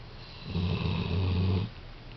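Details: Pet dog COCO snoring while asleep indoors, one long rumbling breath lasting about a second, low and harmonic with a steady buzzy drone, fading back to quiet room tone.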